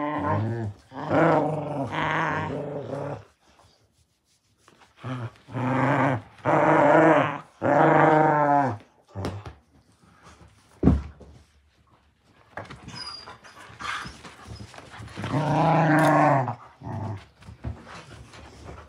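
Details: Beagle puppies Rex and Bentley play tug of war, growling in choppy bursts of one to two seconds, rough and rumbling with rising, whiny edges, broken by pauses, a sharp knock and softer scuffling.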